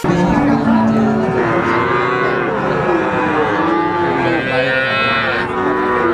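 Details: Three-month-old Simmental, Limousin and Pegon calves offered for sale: several overlapping harmonic moos, some drawn out and level and others short, running continuously under a steady background of crowd murmur.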